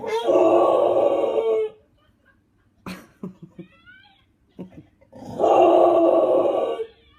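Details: An English Bulldog howling along with dogs in a video gives two long, wavering howls separated by a short pause.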